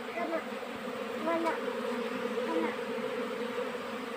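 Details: Western honey bees (Apis mellifera) during the summer nectar flow make a steady, droning buzz, with a person's voice heard faintly now and then.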